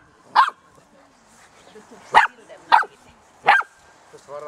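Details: Six-week-old Golden Retriever puppies, ten in all, romping in a garden: four short, sharp yapping barks roughly every half to one second, then a brief whining tone at the end.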